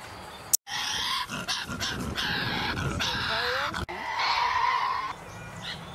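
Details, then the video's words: A wild Australian Tasmanian devil gives harsh, raspy growling screeches in long, unbroken bursts, with a sharp click near the start and a brief pause before a final rasping stretch. "Tasmanian devil sounds"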